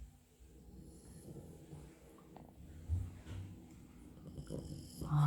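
A French Bulldog snores in low, rumbling breaths with soft snorts.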